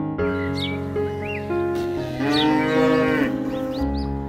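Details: A young calf moos in a drawn-out, nasal bleat that rises then holds steady, with faint background music and small bird-like chirps.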